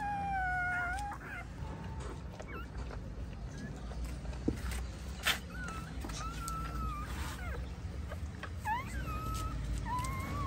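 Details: Female pointer dog giving birth to nine puppies during a home delivery; thin, high whines rise and fall in short wavering squeaks throughout, several bent upward like little cries, over a steady low hum and faint rustling.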